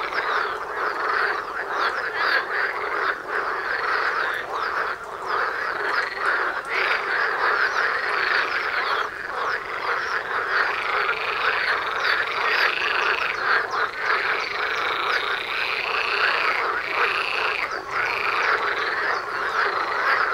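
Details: Frog chorus at a pond right outside a front door, dense overlapping croaking and rattling calls from many frogs forming a continuous wall of sound, with higher trilled notes layered on top throughout.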